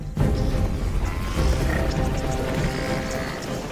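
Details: Dramatic documentary music with deep booming percussion and crashing hits fills the track, with no animal voice heard.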